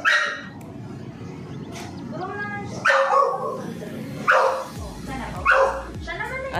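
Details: English bulldog kept as a pet barks in three loud, harsh bursts spaced about one to one and a half seconds apart, while a woman coaxes it in Filipino and soft music plays behind.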